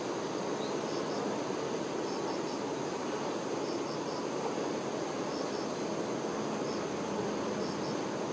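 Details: Many honey bee workers tending the queen create an unbroken low buzzing drone, level and dense, while faint high double chirps sound about once a second in the background.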